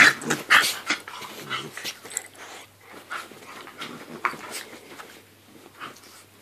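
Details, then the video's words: Two dogs, a Staffordshire Bull Terrier and a Jack Russell Terrier, playing: scrappy bursts of growls and short yelps, loud at first and then softer, with scuffling noise between them. "Staffy v Jack Russell"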